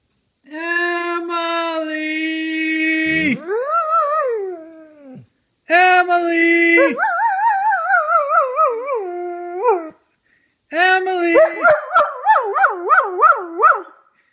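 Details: Pet dog howling and crying when people in the house yell and call out to each other; long steady harmonic howls, then rising, wavering cries that pulse quickly in a singing pattern, in three bursts separated by short silences.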